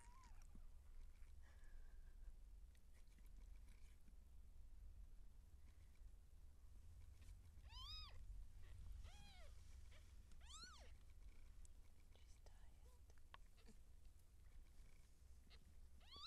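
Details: Seal point Siamese cat in labour, giving birth to kittens indoors: three arched, harmonic meows rise and fall in quick succession midway through, over a steady low hum and quiet room noise.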